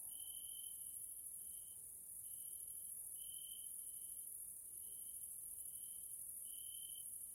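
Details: Evening insect chorus attributed to grasshoppers in a nature area in Hungary, Central Europe: clear tonal trills in roughly one-second bursts with brief gaps, set against a continuous high, hissing shimmer.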